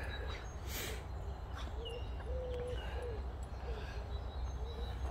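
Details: Boxer dog Rex whining outdoors in April, a drama queen always in a hurry to play, with little brother Sammie nearby: a string of short, wavering, tonal whines, about eight in five seconds, over a steady low outdoor rumble.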